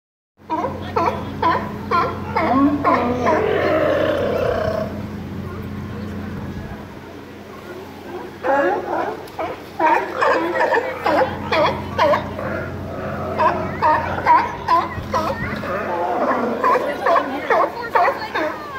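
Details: California sea lion (Zalophus californianus), barks.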